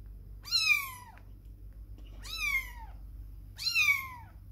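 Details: Kitten away from its mother for the first time while she grooms, meowing three times, each meow a high, slightly falling cry about a second long, repeated every one and a half seconds over a faint low hum.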